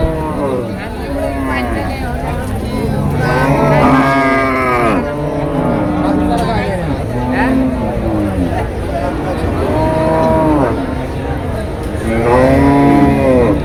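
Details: Cattle at the Tuesday cattle market in Deohata, Mirzapur upazila, Tangail, where fattened cows and heifers are sold for meat or rearing; several low, drawn-out moos rise and fall one after another over a steady murmur of crowd voices.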